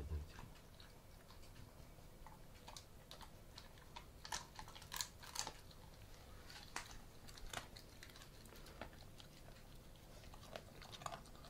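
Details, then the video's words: Theo, an Alaskan Malamute, eats a duck carcass indoors, calm and without aggression around food; irregular crunching and cracking of bones with sharp clicky bites scattered across a quiet room. "Alaskan Malamute i kości z kaczki"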